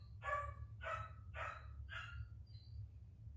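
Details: Puppy barking in the background during a full tantrum indoors: four sharp yapping barks about half a second apart, followed by fainter yelps, over a low steady hum.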